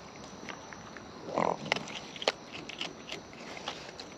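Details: Raccoons in the wild, up close while eating, give a short noisy grunt-like burst followed by crisp snapping chews and soft crunches spaced irregularly.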